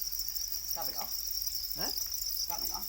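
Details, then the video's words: Domesticated para crickets, also called black crickets, kept in captivity: a steady, unbroken high-pitched trilling drone runs throughout, with short bursts of human speech breaking in three times. "Para crickets, also known as black crickets, are domesticated crickets"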